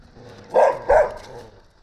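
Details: A pair of loud, clipped barks comes from a Gampr stray picked up on the street in Abovyan, Armenia, awaiting its owner. A faint low rumble is audible underneath.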